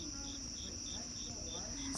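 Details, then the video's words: Evening crickets outside, a shrill unbroken high whine with regular short chirps pulsing several times per second, and a brief sharp bump at the very end. "Crickets chirping"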